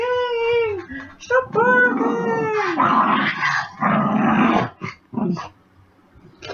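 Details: Pet puppy dog after dinner gives drawn-out, wavering whining howls with clear harmonics, then rougher grumbling bursts, while its owner talks to it in a small indoor room.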